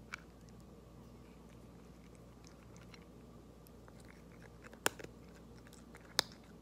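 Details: Orange tabby cat Queen Loaftifa eating: scattered soft clicks and small crunches of chewing over a steady low hum, with two sharp, loud crunching bites standing out near the end.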